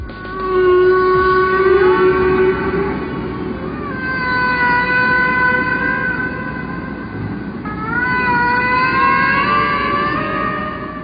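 Humpback whale song: long, drawn-out tonal moans with rich overtones, gliding gently up and down.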